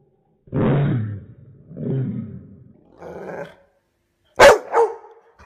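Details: Labrador Retriever, described as seriously angry, filmed in slow motion: deep, drawn-out slowed barks, three low rumbling bursts followed by a sharper bark and a quick second one near the end.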